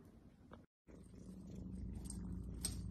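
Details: Selkirk Rex cat purring indoors: a steady low rumbling purr that breaks off for a moment, then resumes and swells gradually louder over the next two seconds, with a few faint clicks above it.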